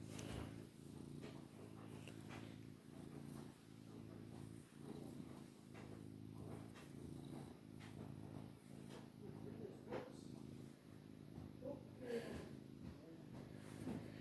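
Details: Male long-haired Maine Coon cat, called a really loud purrer, keeps up a continuous low rumbling purr that swells and fades with each breath, roughly every one and a half seconds, with faint clicks and rustling.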